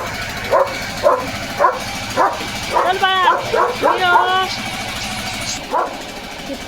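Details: Leo, a German Shepherd in a home yard, barks at a noisy machine: four short barks about half a second apart, then a stretch of harmonic voice-like sounds, with a man talking and background noise.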